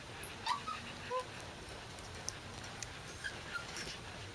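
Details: Corgi puppies recorded on 12 August 2013, giving faint, high, thin whimpers and short squeaky yips scattered across a few seconds, set against a steady low hum of room noise.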